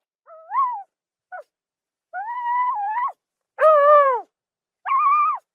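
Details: Zebra calling with a series of short, harmonic, barking whinny notes that rise and fall in pitch. Five separate bursts come over about five seconds, the loudest near the middle, against a clean, silent background.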